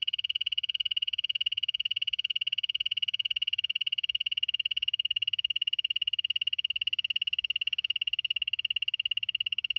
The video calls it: 5 popular poison dart frogs - call and sound. Poison arrow frog.